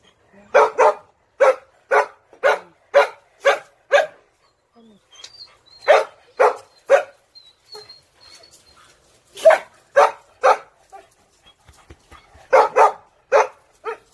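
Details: A dog barks steadily in a run of seven evenly spaced sharp barks, pauses, then resumes with groups of three and four barks separated by short silences.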